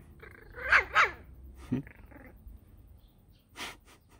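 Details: Border Terrier puppies, five weeks old, on a hot day: two quick high yaps in close succession, a short growly squeak, then quiet before one final noisy burst, over a faint background hum.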